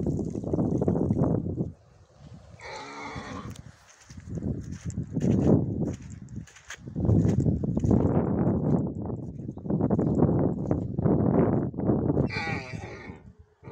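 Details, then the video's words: Stallion going to the mare Milka: long runs of low, rumbling snorting bursts, broken twice by short, bright squealing whinnies, one early and one near the end. "Жеребец пошел к Милке"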